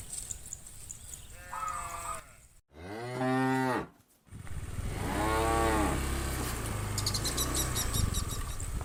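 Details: Village cattle herded from farm to field in the morning, adult cows calling the herd to grazing ground: a faint moo, then a loud, full moo around three seconds, and another drawn-out moo, over steady low rumble and clicking.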